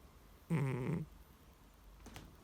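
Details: Deeply asleep pet cat that could not be woken. A single low, rough snore lasts about half a second in a quiet room, followed by a faint soft noise.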